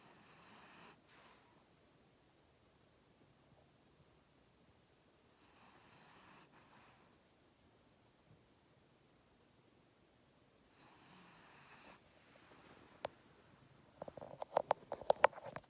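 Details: Lilly, a French Bulldog, sleeps in a lap indoors and snores: three soft, breathy snores spaced about five seconds apart over quiet room tone, followed by light rustling and clicking handling noises at the end.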